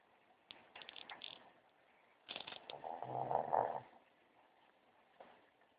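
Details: Lola, a pet dog, sleeping in bed; one long rough snore swells between about two and four seconds, preceded by crackly rustling noises, with a quiet room otherwise.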